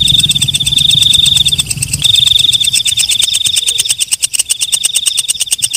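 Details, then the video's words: Walang kecek, a night-singing katydid, produces a shrill sustained buzz with a brief gap, then slips into a fast series of crisp high-pitched clicks. A quiet low-frequency murmur sits in the background. "Suara Walang Kecek/ Belalang Malam"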